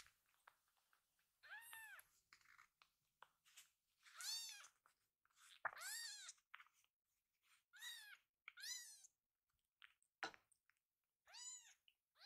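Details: Full-bellied rescued kitten Pochamaru, lying belly-up and tickled; a string of clear, rising-then-falling meows every couple of seconds, with soft rustling and clicks between them.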